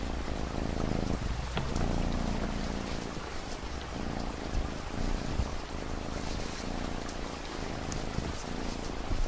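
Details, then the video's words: Domestic cat purring in a steady low rumble of rapid pulses, mixed under continuous rain hiss and scattered drop ticks. "Cat Purring Sound"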